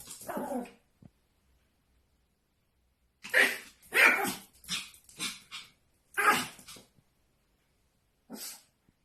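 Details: A Pomeranian reacting to its own reflection with bursts of high, sharp barks and yips, some quick doubled barks, with long quiet gaps in between.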